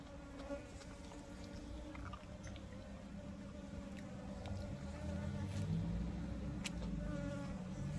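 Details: Wild honey bees gathering at a box hive set out to lure them in, a dense, steady low hum of many wings rising gradually in loudness, with occasional faint clicks and knocks.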